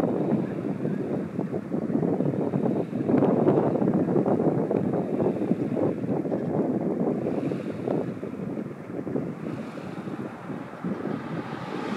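Steady wind buffeting and lapping water fill the recording, with no clear animal calls standing out.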